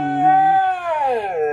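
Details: Moon, a male Siberian husky, sings along with his dad to a song, giving a drawn-out, tuneful howl that holds steady, then slides downward.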